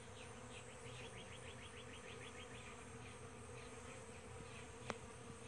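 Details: Several kinds of bees feeding on nectar from a powder puff tree at sunrise: a continuous low buzzing hum, with quick repeated high chirping trills in the first half and one sharp click near the end.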